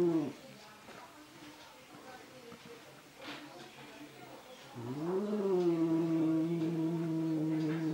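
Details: Angry domestic cat fighting its own reflection in a mirror, indoors: low drawn-out growling yowls with rich harmonics, one sliding upward then holding steady for about three seconds near the end, quiet stretches between.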